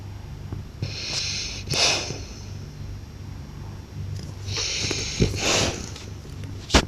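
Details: A blue French Bulldog snoring loudly: noisy, hissing breaths with snorting bursts at irregular intervals, a steady low hum underneath.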